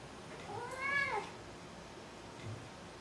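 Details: Maru the cat gives a single meow, rising then falling in pitch with clear harmonics, lasting about half a second, followed by a quieter faint sound; a quiet indoor background.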